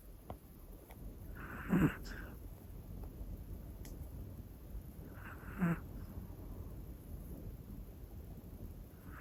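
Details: Hana, a one-year-old black female Pomeranian, snores while asleep indoors: two soft, breathy snorts about four seconds apart over a low, steady room hum.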